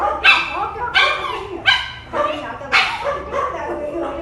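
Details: A female dog whining, upset because another dog was taken out for a walk first; high, wavering whines with falling tails, repeated roughly every second in loud bursts.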